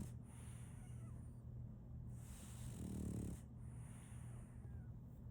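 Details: French Bulldog puppy named Solaimy, a female, snoring while asleep: hissing breaths in and out, with a louder, low rumbling snort near the middle and a steady low hum underneath.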